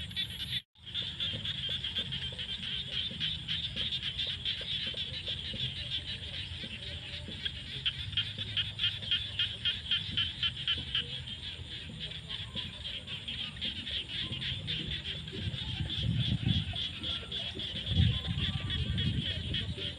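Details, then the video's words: Rainy-season frogs in fields at sunset make a continuous high pulsing chorus, rapid ticking notes stacked together. Low rumbling background noise grows stronger toward the end. "The sound of frogs crying in the fields at sunset during the rainy season"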